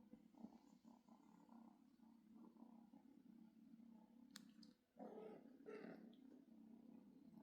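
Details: Low continuous purring from a cat family where a kitten looks to its dad for milk; an even rumble broken by a brief pause, then a louder, brighter burst of purring with a sharp click midway.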